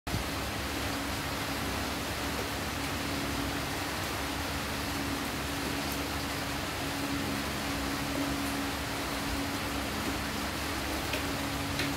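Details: Steady broadband hiss with a low constant hum throughout and no animal voice.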